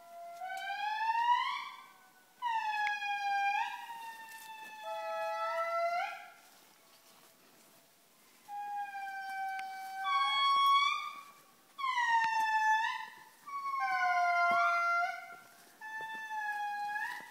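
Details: Indri (Indri indri) at Andasibe, nearby, gives loud, siren-like wailing howls, long sustained tones that swoop and bend in pitch.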